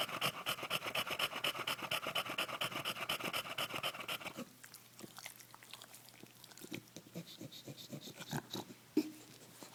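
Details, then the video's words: English Bulldog Bentley getting a belly rub after play: rapid raspy panting for about four seconds, then it stops, leaving soft snuffles, rustling and a few faint breaths. "Heavy Breathing Bulldog"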